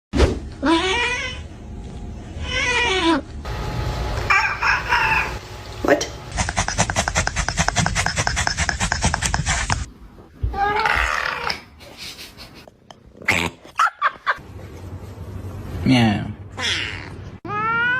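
Domestic cats give drawn-out, wavering meows that rise and fall, with human voices mixed in.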